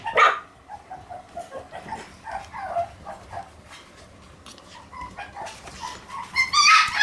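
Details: Shiba Inu dog giving a sharp bark at the start, then a run of soft whining, yipping notes, and a louder burst of high yelps and barks at the end.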